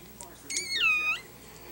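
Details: During a Yorkshire Terrier's delivery of seven puppies, a single clear, high whining squeal rises, holds steady for a moment and then lifts again, standing out loudly against a quiet indoor background.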